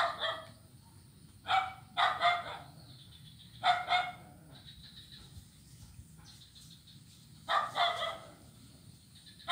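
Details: Blind kitten playing on an ironwood (ulin) wooden bridge on Jalan Kolonel Sugiono, Kuala Kapuas, Central Kalimantan, recorded Monday 25 November 2019; short bright mews, often in quick pairs, spaced by quiet gaps over a steady background hiss.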